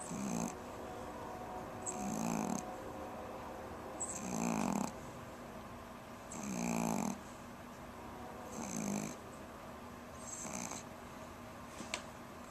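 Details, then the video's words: Pomeranian Jazi snoring while sleeping, six raspy snores at a steady pace of about one every two seconds, each with a faint whistling breath, in a quiet room. "Jazi the pom snoring"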